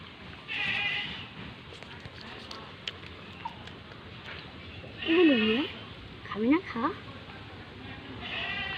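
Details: Young pet goat named Guddu, still on milk, being hand-fed cut mango during mango season; two wavering, quavering bleats about a second apart, mid-clip, with people talking before and around them.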